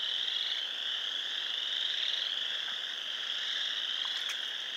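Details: Pond frogs in Sanborn, New York, recorded 29 March 2020, massed in a steady, shrill chorus; countless high peeps blur into one unbroken ringing tone, with a faint lower second band and a couple of short clicks near the end.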